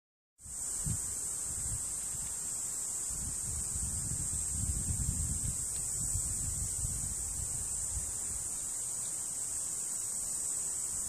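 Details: A Tibicina cicada sings a soft, continuous, high, hissing buzz that holds steady without a break, recorded in Monchique, Algarve, Portugal, in 2019.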